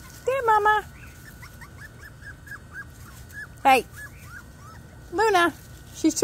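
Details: Five-week-and-three-day-old puppies outdoors for the first time in Florida give three loud, high, falling whimpers and yelps, with faint soft chirping in the gaps and human voices around.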